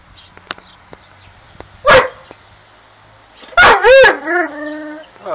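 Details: Dogo Argentino making talking-like vocalizations: a short yelp, then a pair of loud rising-falling whining moans, while a person speaks affectionately nearby.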